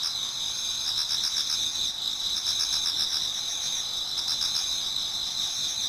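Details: Toward daybreak in an autumn Japanese garden, many insects sing at once. High, sizzling double-toned trilling continues without pause, its pulses beading rapidly and briefly surging in loudness.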